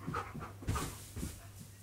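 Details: Indoors during a hide-and-seek game, Keyush the fluffy dog breathes in rapid, soft, airy pants, a few short breathy bursts over a low steady electrical hum.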